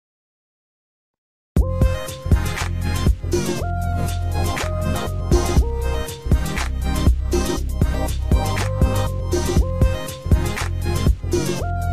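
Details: After a second and a half of silence, a steady hip-hop style music track with a thumping beat and bright synth notes plays to the end, with no animal voice heard.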